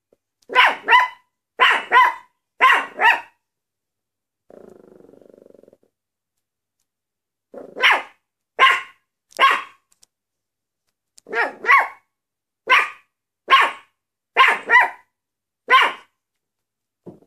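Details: Maltese dog barking in sharp, high, yappy bursts, mostly doubled or tripled barks in quick groups, repeated about every second with pauses, plus a brief low hum near the four-second mark; otherwise quiet.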